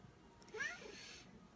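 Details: A hungry pet cat chattering at its owner indoors: one short, bent meow that rises and then falls in pitch, heard over quiet room noise.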